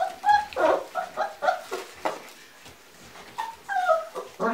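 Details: Giant Schnauzer indoors giving a run of high, whining whimpers and short yelps, some sliding up and down in pitch, closely spaced and uneven, in a small room.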